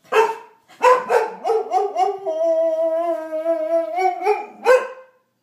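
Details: A Boxer puppy, "arguing" when not given attention, gives a few sharp yips, then a long, wavering, mid-pitched howl.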